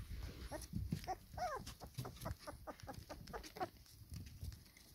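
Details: Four-week-old pedigree black Labrador puppies beside their mother, feeding in sunshine, give small nasal whines and squeaks in a cluster near the start and one more later, amid low rustling and shuffling.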